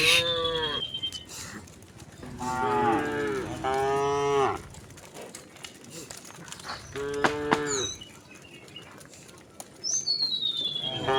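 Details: Several resident cows calmly wandering on a village road moo in long, drawn-out, bending calls, with thin high whistled notes at the start and end.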